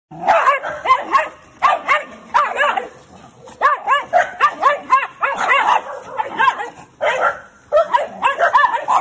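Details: Shiba Inu with a very sensitive rear and tail reacts after being touched there and frantically bites its own tail. It gives a rapid run of high, arching whines and yelps in dense bursts for about nine seconds, with brief pauses.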